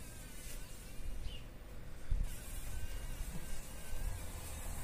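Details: Fly caught in a spider web in a workshop corner, struggling to escape in the morning: a low, droning buzz that swells and fades unevenly, peaking around two seconds, then continues with rough pulses over faint background hiss.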